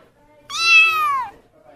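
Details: A single domestic cat meow lasting under a second, loud and tonal with rich overtones, its pitch sliding gradually downward toward the end; faint low background hum.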